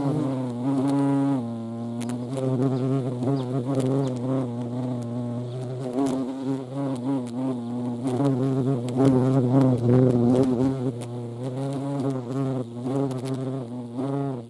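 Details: European hornet (Vespa crabro) at a feeding place: a low, steady droning wing buzz, rich in overtones, its pitch wavering up and down, with scattered faint clicks and taps throughout.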